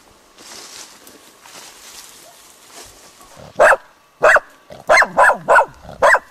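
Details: Dog barking spontaneously at a dead roe deer buck, recorded 21 July 2011: rustling and low background noise at first, then six loud, sharp barks, the last four coming rapidly in an uneven burst.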